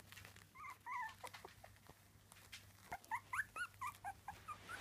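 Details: Three-week-old Miniature Dachshund puppies giving scattered thin squeaks, then a run of short high whimpers in the second half, some rising and some falling, over a low steady hum.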